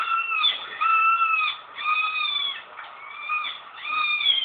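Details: Kitten giving a run of drawn-out, slightly wavering mews, each about half a second to a second long, following one another closely.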